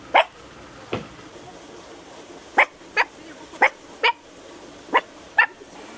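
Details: Miniature Pinscher meeting another dog in a park in Vrnjačka Banja on 13 November 2015; short, sharp barks, about eight, spaced irregularly with gaps of up to a second and a half, over a quiet background.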